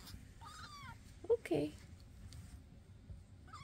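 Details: Indoor foster cat household with Basil, Oodles and Zimothy, May 22, 2024: one drawn-out, gently falling meow, followed by a brief human voice and soft thumps.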